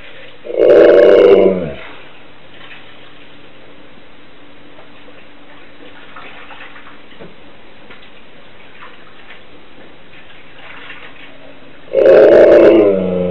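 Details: Siberian Husky left at home while its owner went shopping, howling so wolf-like on the owner's return. Two short, strained harmonic cries of about a second each open and close the recording, separated by a long stretch of quiet indoor hum.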